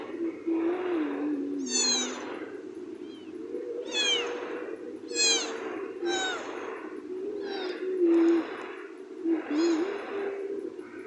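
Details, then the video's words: Cat meowing in a series of short, arching calls that rise and fall, repeated roughly every second or two, over a steady low humming voice that runs underneath throughout. "Meow meow"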